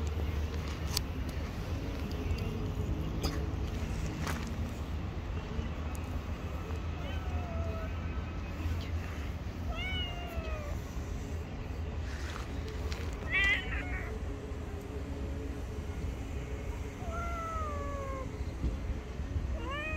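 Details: Hungry stray cats living on the street, running toward a familiar voice, give several short falling meows spaced a few seconds apart, over a steady low rumble of traffic with some human speech.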